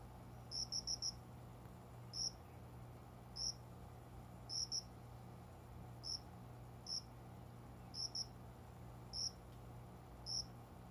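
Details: Unseen cricket among indoor window greenery around dawn, after 5 a.m., summer; sharp high-pitched chirps, some in rapid clusters of three or four, others single, separated by one-second gaps, with a faint constant low hum behind.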